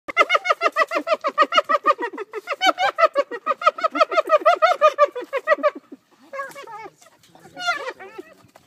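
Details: Spotted hyenas laughing: a rapid run of harmonic, rising-and-falling giggling whoops, about three per second for six seconds, then breaking into scattered higher, squealing calls.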